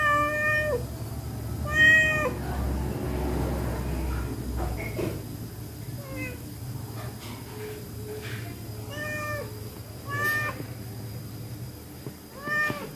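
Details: Pregnant stray cat, hungry, taking fish in a kitchen: clear harmonic meows repeated every two seconds or so, some short and rising, others drawn out, with low rumbling background hum and occasional knocks.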